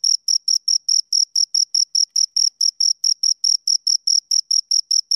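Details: Two crickets giving shrill, clear chirps in quick succession, close to five per second, evenly spaced and steady in loudness, with no other noises.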